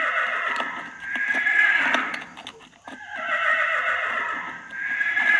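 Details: Horse whinnying in two drawn-out, noisy neighs with steady background noise and faint clicking between calls.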